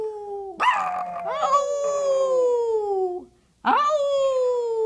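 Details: Retired Maltese show dog singing in reply to its owner: a loud, sustained tonal howl with rich harmonics, sliding slowly downward over about two and a half seconds, a short pause, then a second howl rising sharply and holding steady.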